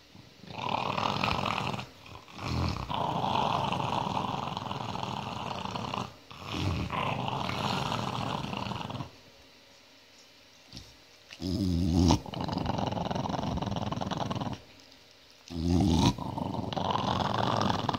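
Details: An angry dog growls in long, low, rumbling bursts separated by brief pauses.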